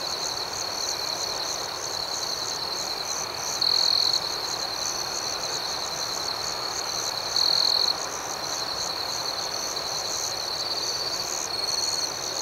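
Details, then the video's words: Crickets chirping at night form an unbroken, high, shimmering drone of quick pulses; a closer individual sounds louder trills about every three to four seconds, three times in all. "Soothing Cricket Sounds"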